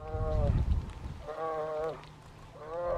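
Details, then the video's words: Grizzly cub in its second summer at Lake Clark, Alaska, calling in June for its mother's milk: three whining, harmonic moans that bend slightly downward, with a brief low grumbling sound at the start. "Hungry grizzly cub wants to nurse"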